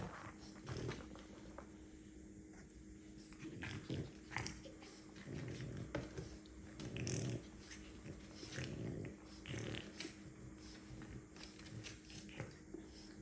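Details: French bulldog mother Milli with her pups indoors in a small room; short breathy snorting and snuffling bursts, with soft growly undertones, come every second or so over a steady low hum.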